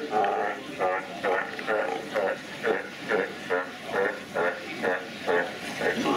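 Sea lions make rhythmic, buzzy blats, twice a second, that sound like farts.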